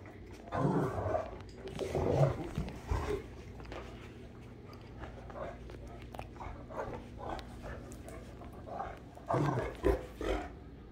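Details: Great Danes Rhapsody and The Heartbreaker play-fighting; deep throaty growls come in clusters at the start and again near the end, with softer scuffles between and a constant low electrical hum.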